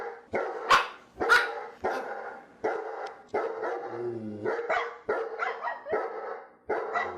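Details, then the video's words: Dogs barking in rapid, overlapping bursts, loud and broadband, with short sharp barks mixed into longer rough ones and a brief low tone midway. "perros ladrando"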